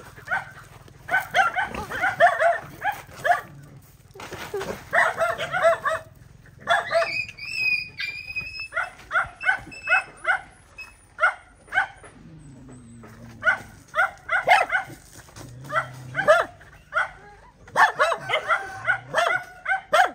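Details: Female dog fighting to guard her babies, barking in fast irregular bursts with brief gaps; a thin, high whistling tone sounds briefly partway through.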